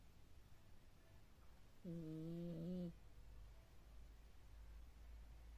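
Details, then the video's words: A cat snoring in its sleep, one deep, steady, droning snore lasting about a second, with a faint hiss rising through it against soft background rumble. "кот 🐈храпит как здоровый мужик"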